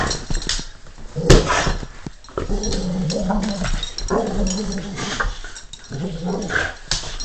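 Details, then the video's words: Stanley, a pet dog, growls in a playful attempt to sound tough: a low, rough, voiced rumble that rises and falls in a few sustained pulses, with faint rustling and handling noise around it. "Stanley trying to be grrr-style manly"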